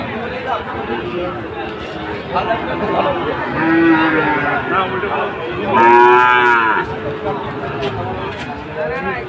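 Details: Sahiwal breed bulls at Ambari cattle market, Bangladesh, on Monday 24 July, with Chattogram traders buying: two strong, rich moos near the middle, each about a second, rising then falling, with fainter lows and busy crowd chatter around them.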